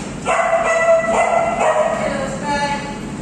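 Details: Female Alaskan Malamute with her friends producing a quick series of short, bright, harmonic yips and woos, about two per second, fading to a softer wavering note at the end.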